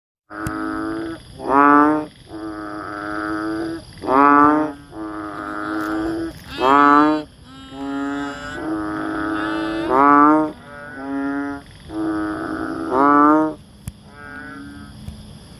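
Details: Banded bullfrog, also called chubby frog, Asian painted frog, rice frog or bubble frog, giving a long series of nasal, harmonic croaks, loud ones alternating with softer ones, roughly one call per second.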